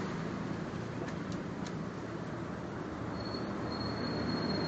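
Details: Dense rumbling noise like passing traffic, a few crackling clicks and a thin steady whine, no animal voice.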